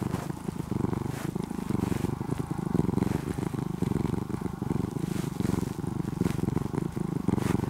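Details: Brown-and-white former stray kitten, fed and cared for over two years and now nearly a house cat, purring close up with a deep, engine-like rumble that swells and fades roughly once a second with each breath; faint background hiss.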